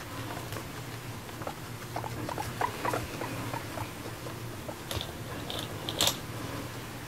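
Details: Indoor pet guinea pig, female Moru-chan, eating grass and seeming to chat; busy crunching and rustling patter, then short high squeaky chirps around the fifth and sixth seconds over a low purring rumble.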